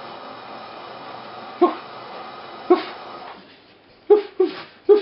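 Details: Four-week-old Border Terrier puppies, one bitch and three dogs, indoors with their three-year-old mother: a few short, high yelps spaced about a second apart, then three quicker yips in a burst near the end over a quiet room.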